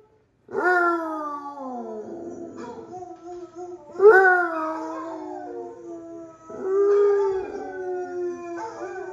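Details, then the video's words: Droopy, a Basset Hound, howling back at other dogs heard from videos; three long drawn-out howls, each starting with a sharp rise then sliding slowly downward in a mournful tone, spaced a few seconds apart. "Droopy the Basset Hound is Howling Back at the Other YouTube Dogs!"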